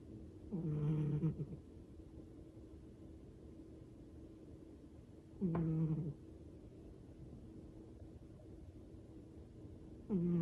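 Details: Old Siamese cat Bidung, worn out and sleeping indoors, snores in low, rough, harmonic rumbles about a second long. Three snores come roughly every five seconds over a quiet background hum.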